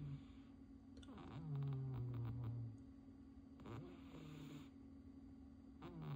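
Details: Sleeping house cat Ponyo snoring: two long, low rumbling breaths, the first drawn out and slowly falling, over a constant background hum in a quiet room.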